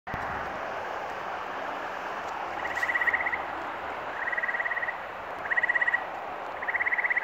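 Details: Frogs singing in New England on May 11, 2023: short pulsed trills, each under a second, repeat roughly every second and a half over a dense steady chorus hum, with faint background noise.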